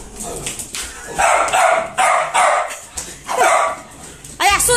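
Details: Siberian Husky theatrically screaming while being shaved, with a woman talking over it; several loud, strained wailing bursts, then a short wavering yelp at the end.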